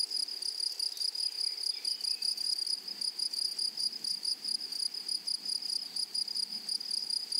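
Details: A flowery meadow full of grasshoppers making an unbroken, shrill, buzzing trill with a rapid rhythmic pulse, over a faint high overtone; a few soft, brief descending chirps come from elsewhere early on.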